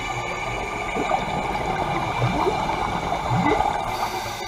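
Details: Humpback whale passing divers at the Carthaginian Shipwreck off Maui, Hawaii, heard underwater: short rising chirps and upsweeps around 1.1, 2.4 and 3.5 seconds over a steady hiss, with bubbling and regulator noise.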